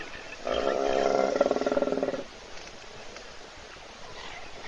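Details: Hippopotamus asleep in a puddle at an African waterhole, watched by a live Africam webcam in South Africa while thirsty animals wait for it to wake. A single rasping, rapidly pulsed snore lasts about two seconds over quiet outdoor background.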